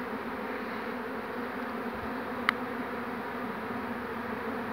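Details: Swarming honey bees, 2 June 2019, just after the queen has been caught in the hand. A constant, even drone of many bees fills the recording, broken by a single sharp click near the middle.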